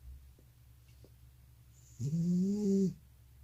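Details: Sleeping elderly grandpa cat with sleep apnea gives a single drawn-out, nasal snore just under a second long, with a steady tone, after near silence with a couple of faint clicks.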